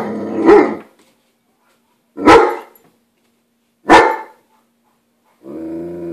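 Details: A roughly one-year-old male German Shepherd gives three deep, harsh barks about two seconds apart, warning off a girl dropping off the newspaper on his turf; he was also growling, barely audible.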